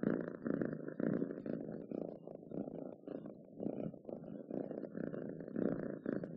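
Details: Domestic cat purr, a rough low rumble broken into separate swells, some louder bursts and short quiet gaps between breaths, uneven pacing and a grainy texture.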